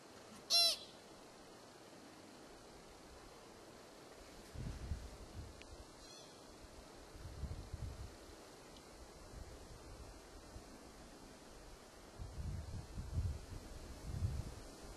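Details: An American pika (Ochotona princeps) calling in Kokanee Glacier Provincial Park, British Columbia, gives one sharp, nasal squeak, followed later by a fainter chirp over wind rumble.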